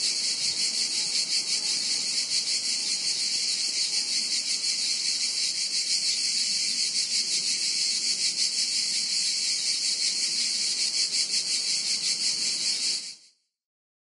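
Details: A dense chorus of grasshoppers in Montenegro, a high, hissing buzz with a fast pulsing texture that never pauses.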